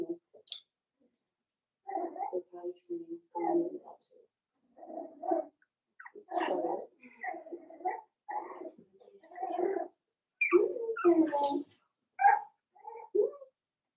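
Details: Cavalier King Charles Spaniel puppies from Daisy's litter, in an indoor puppy pen. Short whimpering yips and squeaks come in bursts separated by brief pauses, with the sound quietening between clusters.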